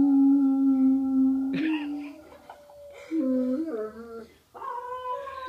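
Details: Baxter, a Great Dane, howling: a long, steady, low tone held for about a second and a half, then wavering notes that slide down and back up, ending in a higher, drawn-out howl.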